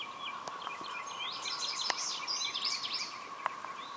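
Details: Mass emergence of red-eyed 13-year periodical cicadas, swarming everywhere off Lake Francis Road in Dalton, Georgia; a steady, unbroken droning hum fills the air while birds chirp and twitter busily over it.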